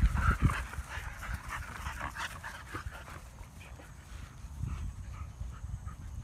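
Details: Panting from Siberian Huskies exercising with a run across an open field: rapid, uneven breathy huffs, loudest at the start, then softer steady panting against a low outdoor rumble.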